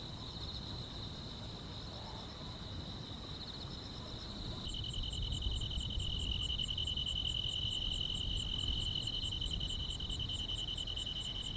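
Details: Summer-night grass insects in a calm rural setting, several overlapping high continuous trills; halfway through the pitch shifts slightly lower and a rapid ticking pulse series grows clearer and louder, with low background rumble throughout.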